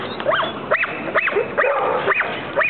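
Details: An American Pit Bull Terrier gives a rapid series of high, arching yelps, about six in under three seconds, each rising then falling in pitch, over a steady background.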